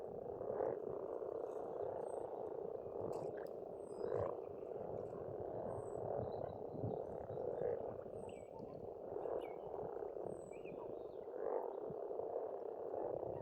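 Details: Pond frogs in spring in Estonia keep up a constant rattling croak chorus swelling every few seconds, while distant birds add short high whistles throughout.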